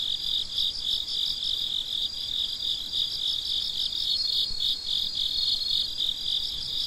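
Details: Midnight cricket chorus: many insects chirping together in rapid, high-pitched pulses, steady and unbroken, with only soft low noise beneath.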